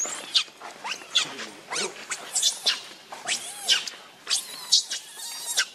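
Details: Rainbow the monkey, very angry while protecting Lucie from Kachoy, gives a run of short, shrill, high squeals, about one a second and unevenly spaced, with scuffling noise underneath.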